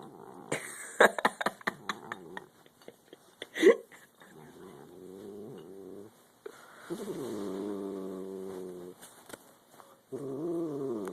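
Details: Domestic cat, angry while eating, giving drawn-out, wavering low growls and moaning yowls in several long stretches, mixed with brief clicks and eating noises.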